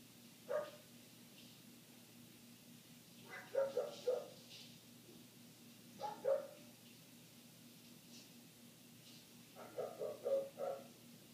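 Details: A neighbor's dog barking continuously for eight minutes, heard muffled indoors through closed windows: single barks and fast runs of three or four, separated by pauses of a few seconds, over a low hum.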